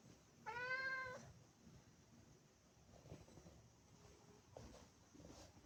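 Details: Indoors at a favourite window, Maine Coon cats bird watching; one clear, sharp meow lasting under a second, followed by a quiet room with faint knocks and taps.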